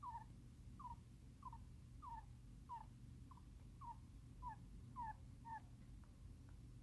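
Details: A pet hamster asleep, moaning and twitching its paws as if in a nightmare; faint, short squeaky chirps that slide downward, repeated about every half second over a steady low indoor hum.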